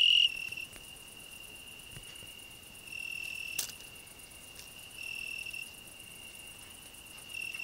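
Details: On a rose bush shared with a grasshopper, a cricket keeps up an unbroken, even high ringing trill, with slight rises in loudness every couple of seconds and a single sharp click midway.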